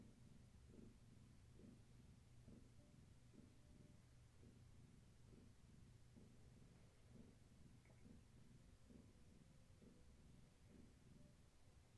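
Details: Purring from Gaia's kittens on an evening of play and leg massages indoors; a soft, low throbbing rhythm, each breath pulse under a second apart, steady throughout against a quiet background hum.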